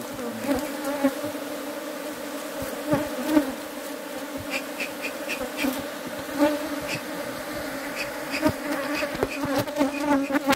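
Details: A bee hums continuously in an even, droning buzz rich in overtones, scattered with brief clicks and light tapping throughout.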